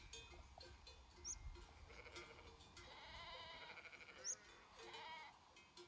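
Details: Sheep from a herd grazing in the Făgăraș Mountains, Romania: a wavering, quavering bleat in the middle, with soft bell clinks and brief high bird chirps around it.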